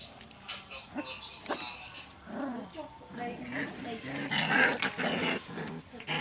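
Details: Puppies quarrelling and playing at night: rough growls and wavering whines rise and fall in overlapping bursts, getting busier and louder toward the end, over a steady high-pitched hum.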